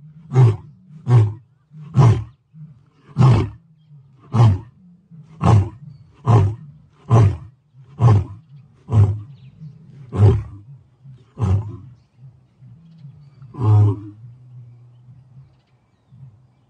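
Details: Lion roar ending in a long series of short, deep grunts, about a dozen spaced roughly one second apart, slowing toward the end, then a final longer grunt and a low fading rumble.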